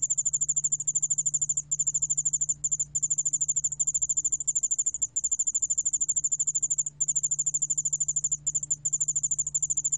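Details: High-pitched rhythmic trilling of the Korean ground cricket yeoul-allak-bangul-beolle, recorded in 2020 by the National Institute of Biological Resources; rapid even pulses run in long bursts with several brief pauses, faint hum underneath.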